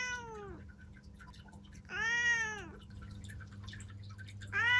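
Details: Three short meows from a seven-year-old female black cat named Ciel at home in Japan, each sliding downward in pitch, spaced about two seconds apart, with a low background hum.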